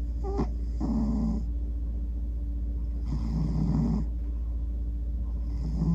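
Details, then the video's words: Male pet cat snoring as he falls asleep, fidgeting while dreaming; breaths come in slow nasal bursts, each a rough low rumble with a faint horn-like tooting edge, spaced a few seconds apart over a steady low hum. "Cat sounds like a little trumpet when he snores"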